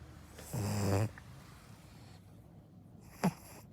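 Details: Sleeping Akita puppy gives one half-second rough snore, then a quiet pause and a brief sharp snort near the end.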